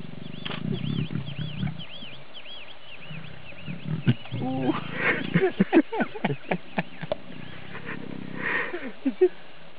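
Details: Lioness trying to lure an uninterested male lion to mate; deep, low rumbling growls fill the first two seconds, then people talk over it while a bird repeats a looping whistled call in the background.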